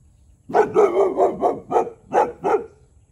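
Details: Tyrion, a year-old Boxer, barks nonstop at a neighbouring cow to defend his ground; eight hoarse, closely spaced barks run together in a steady rhythmic string.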